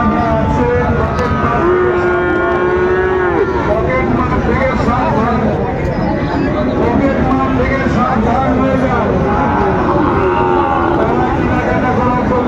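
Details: Young Sahiwal bull at a busy cattle market, 13 February 2025, as a Dhaka farmer looks to buy: long, low drawn-out moo with a steady harmonic tone, over constant crowd chatter and market noise.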